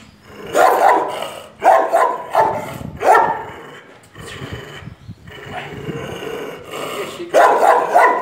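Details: Confrontation in Brazil as Jeová faces the dogs Barão and Larika. Rough, throaty barks in loose clusters about every second, with a quieter stretch midway before loud barking resumes at the end.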